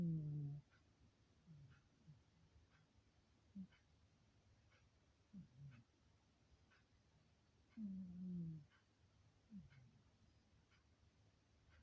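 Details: Pet cat quietly snoozing in a very quiet room; low, soft, drawn-out snoring murmurs at irregular intervals, a few louder groaning breaths, with a clock ticking steadily in the background.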